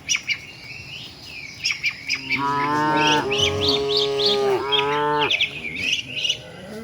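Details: Tame village cattle walking with their herd toward the shed: one long, strongly harmonic moo of about three seconds that dips briefly in the middle, over steady chirping of small birds.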